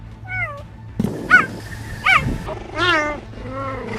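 A cheetah gives a quick run of short, house-cat-like meows, some bending up and down in pitch.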